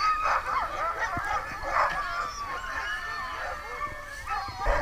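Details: Kennel of sled dogs calling together at night, Muddy Paw in New Hampshire's White Mountains: a dense tangle of whining, yelping and wavering cries with a few louder barks rising above the pack.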